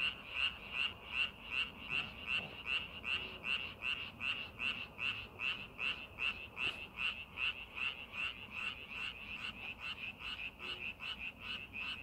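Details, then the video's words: In a rice paddy readied for planting, one frog stands out with evenly spaced pulsed croaks, about two and a half per second, against a quieter chorus. "농사준비하는 논에서 개구리 울음소리"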